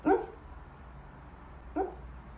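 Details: Corgi Husky mix dog giving two short, sharp barks: a harmonic yelp at the start, then a second briefer one about 1.7 seconds later, separated by quiet indoor room hum.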